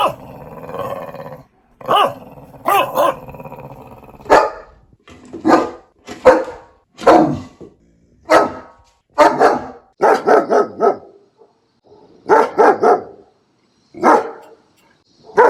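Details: Puppy gives irregular bursts of barks, some single and some in quick pairs or triplets, preceded by a low growl-like rumble at the start.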